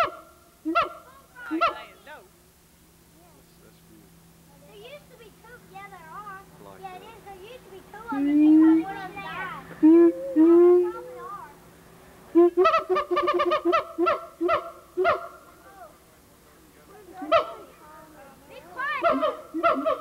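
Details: Siamang gibbon at the Memphis Zoo, 1990, recorded on VHS: scattered barks, a long series of warbling, rising hoots swelling louder, then rapid bursts of loud honking barks with a faint steady hum beneath.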